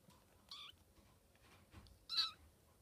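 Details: Maine Coon kittens of one litter playing in their little park, 11 May 2014: two short, high, thin mews about one and a half seconds apart, the second louder, over quiet room background.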